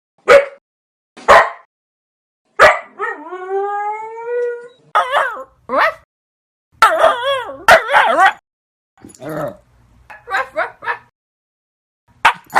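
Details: Dog giving a series of short, sharp barks spaced about a second apart, interrupted by a drawn-out, wavering whine that rises in pitch, then clusters of yelps and barks with brief silences between.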